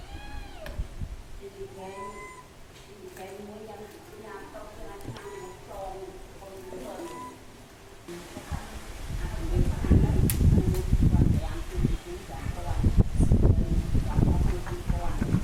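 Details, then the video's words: Young pig-tailed macaque crying loudly after losing its mother, giving a string of wavering, high, tonal wails in the first half, then heavy rustling and handling noise take over. "This Little Cute Monkey Crying Loudly Cos Lost Mom"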